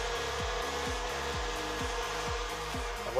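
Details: A rhythmic mechanical scraping, like sawing or a power tool, repeats over a steady broadband hiss. No animal voice stands out.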